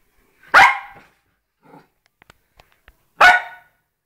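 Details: Poodle, one of a pair of pet dogs, gives two sharp, loud single barks about two and a half seconds apart. Faint soft clicks and rustles are heard in the quiet gap between them.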